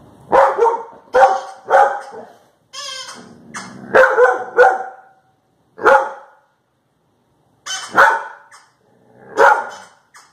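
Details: A Labrador Retriever gives short, gruff barks in uneven bursts at funny sounds played from a video, with a brief warbling electronic sound in between; recorded October 3, 2019.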